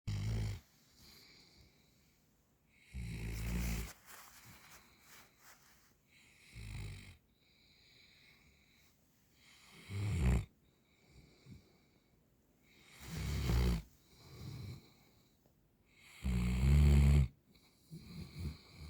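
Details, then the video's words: Central Asian Shepherd Dog (Alabai) snoring: deep, rasping snores repeat about every three seconds, each a short noisy burst with quiet breathing between. "Алабай храпит"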